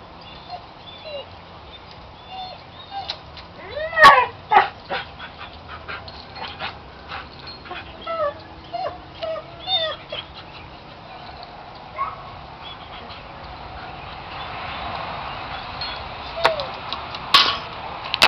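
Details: Siberian Husky spinning in circles, excited by a chain, filmed one evening in May 2009: repeated short high whimpers and yips with a few barks, then clanking and rustling noise toward the end.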